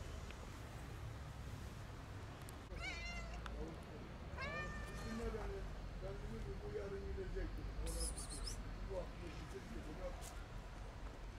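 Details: Hungry kitten wanting food but afraid of the person approaching it; a few clear, high meows with rich overtones, each rising then falling, spaced about two seconds apart over a steady low rumbling background.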